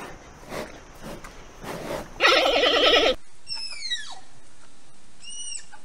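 A giant panda gives a loud, quavering, goat-like bleat lasting about a second, then thin falling whistles follow over faint background noise.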